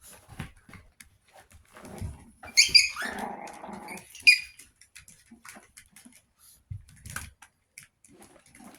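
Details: Chihuahua puppies, 61 days old, indoors: a short burst of high, strained whimpering and growling around the middle, with scattered clicks and light scuffling before and after.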